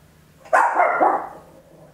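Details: A tiny Papillon dog barks loudly at home, recorded in stereo with an Olympus LS-11: one sharp bark stretching into a drawn-out, wavering yelp lasting under a second, then quiet.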